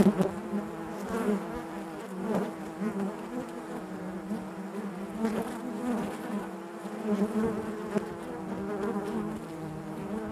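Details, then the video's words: Colony of honey bees inside their hive making a constant deep hum, overtones stacked above it, with rhythmic swells and short louder buzzes scattered throughout. "bees therapy hive natural buzzing sound"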